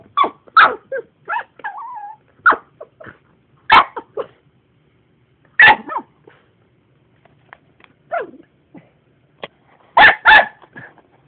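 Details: A pet dog objecting to the vacuum cleaner gives loud single barks and double barks spaced by pauses, mixed with short whines and growly yips; the room is otherwise quiet between outbursts.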